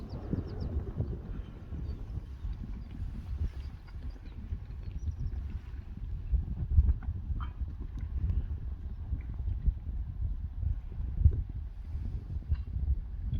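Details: Young Friesian horses let back out onto a meadow that has dried after the rain, happily moving about; soft, low irregular thudding of hooves on the turf runs throughout, with a steady low outdoor rumble and a few faint higher noises.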